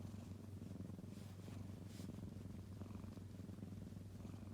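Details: Hachi, a kitten, purrs continuously, a low, even vibrating drone with rapid rhythmic pulses and no pauses, quiet against light background noise.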